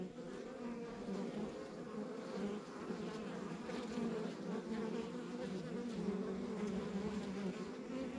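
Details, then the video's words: Honey bees buzzing at a backyard beehive on a rural property, a constant low-pitched hum that grows slightly louder partway through, with passing bees adding brief higher whines over the colony drone. "Relax to the Sounds of Our Backyard Buzzing Beehive"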